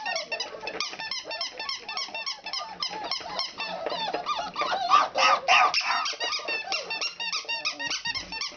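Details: A litter of four-week-old puppies at play, giving rapid, continuous shrill squeaks and short whines, several at once, with a few louder whining bursts midway.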